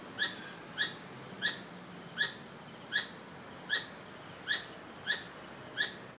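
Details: A squirrel repeats brief, sharp chirps at a steady pace of about one per second over a thin, constant high whine; owners suspect a mother calling for a missing baby.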